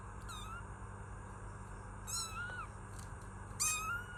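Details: Kitten meowing: three short, thin meows, each rising then falling, spaced about a second and a half apart, the last one loudest, over a constant low hum.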